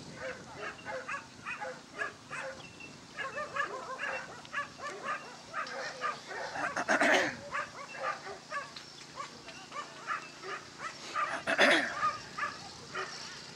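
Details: Basenji dog at a Dogs NSW lure coursing event on 27 September 2015, running the course as catalog entry 5: rapid series of short, high yelping yips repeated throughout, with two louder sharp bursts near the middle and end, outdoors.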